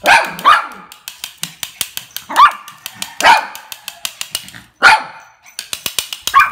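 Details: Playful, happy mixed-breed toy dog giving five or so short, high-pitched yaps spaced about a second apart, with rapid clicking taps filling the gaps between barks.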